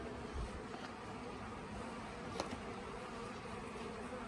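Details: Late-year honey bee swarm on the Tamarind Tree Hotel property, several days old, as beekeepers try to settle it in a nuc box. An even, unbroken humming drone with one sharp tick near the middle.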